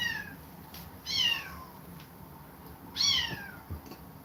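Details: Young kittens forced away from an aggressive mother give two loud, downward-sliding meows about two seconds apart, thin and high with bright overtones, over a faint room background.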